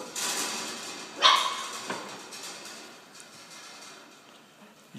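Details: Belgian Malinois puppies aged four weeks, from a litter of eight males and two females; one sharp, high yip stands out near the start, followed by a softer bark-like sound and fading rustling.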